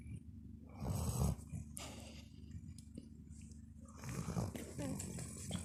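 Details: Dog snoring heavily, two rough, low rumbling snores about three seconds apart, each swelling for roughly half a second, with soft breathy noise in between.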